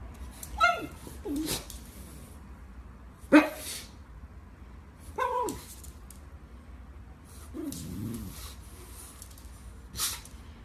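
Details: Pug, a pet dog from a funny compilation, giving about five short separate vocal bursts over ten seconds: brief yelping whines that bend downward, with snort- or sneeze-like noisy bursts between them, over a steady low indoor hum.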